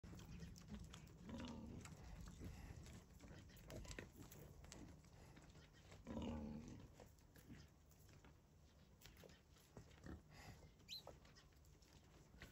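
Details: Wild boars relaxing at a farm give low, rough grunts in short bursts over a steady low rumble.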